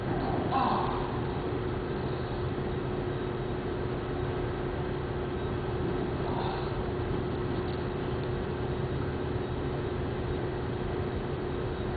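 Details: Continuous low mechanical drone like a moving train or vehicle, with faint muffled voices and no animal sounds.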